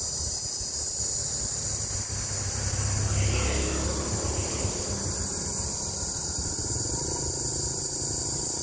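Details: Cicadas, sounding like green cicadas, drone in a steady, shrill, high-pitched buzz over low traffic rumble, recorded in Đông Hòa ward, Dĩ An, Bình Dương, Vietnam, at 14:45 on 14 May 2024, in summer; cicada.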